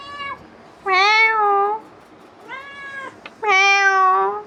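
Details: Pet cat pestering its owner indoors after coming back from a wander, giving loud, drawn-out wailing meows, each about a second, separated by a shorter, softer mew and a click, with a woman answering in mock meows.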